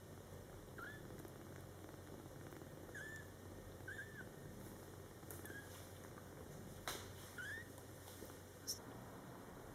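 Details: Scottish Fold kittens born July 22, 2012, in their first month indoors with mother cat Coco, give five brief, thin, high mews with a rising-then-falling bend, spaced irregularly over ten seconds against a steady room hum and soft rustling.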